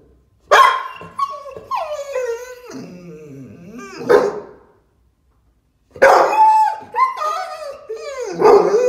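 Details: American Staffordshire Terrier, a female, excited: sharp broadband barks at the start and again near six seconds, each trailing into drawn-out, wavering whines and yelps, with a silent pause between bursts.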